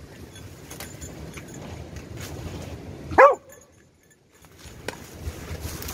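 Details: Beagle in rescue dog training, searching for three victims in ten minutes, two of them out of its reach; one short, sharp bark stands out midway against quiet background rustle.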